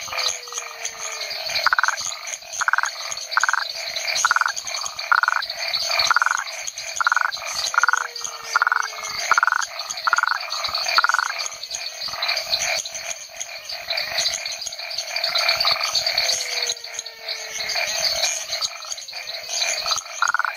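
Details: Rhinella cf. paraguayensis, a toad recorded at a research station in the Chiquitania lowlands of Bolivia, an area holding more than 40 frog species; short pulsed bursts repeat rapidly, with descending whistles from other frogs and a steady high insect hiss.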